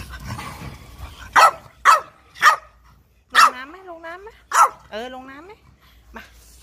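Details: Pet French Bulldog at play near water: five sharp barks spaced about half a second to a second apart, two of them drawn into wavering, howl-like yowls, with quiet background chatter.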